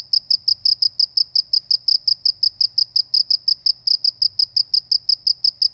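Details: Rural cricket calling in an unbroken, rhythmic series of bright high chirps, roughly four to five per second, over a faint low background hum in quiet countryside.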